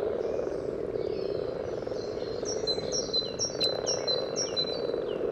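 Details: Spawning common frogs by the yellow trail, Sunnersta, Uppsala, parabolic recording: an unbroken low purring drone from many frogs, while a bird repeats sharp high chirps and falling whistles in the background.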